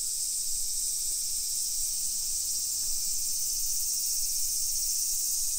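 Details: Summer cicadas singing in a modern hillside residential neighborhood of Nisshin city near Nagoya, Aichi Prefecture, Japan, at 1 PM on 28 July 2021: a dense, steady, high-pitched hissing drone that never breaks, with faint low street rumble beneath.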